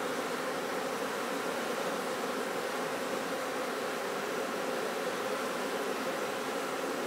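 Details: Continuous swarm-like drone of honey bees on a honey-cultivation farm, steady and even from start to finish, mixed with a broad hissing wash.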